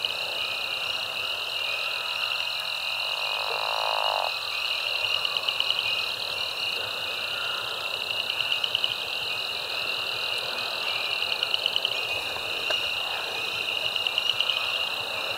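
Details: Mixed frog chorus at Caddo Lake National Wildlife Refuge, eastern Texas, USA, recorded March 10, 2024 with binaural and shotgun microphones; dense continuous high trilling and peeping bands with pulsed rattling calls rising and falling throughout.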